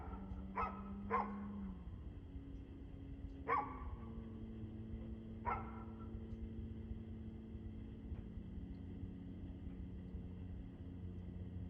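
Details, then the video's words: Dog recorded barking on 2/6/2024 at 6:02pm in the evening; a few isolated barks, two close together then two spaced out, over a droning engine-like hum that shifts pitch. "Barking Dog"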